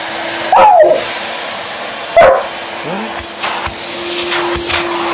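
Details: Alaskan Malamute indoors, reacting vocally to a running hoover. Two loud, sudden, yelping barks sound about one and a half seconds apart, followed by a softer rising whine, all over the steady droning hum of the vacuum cleaner.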